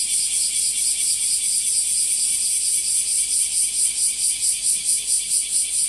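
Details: Bear cicada, locally called washiwashi, singing in Japan among trees and grass: a loud, dense, high buzzing chorus, pulsing steadily about twice a second with no pauses.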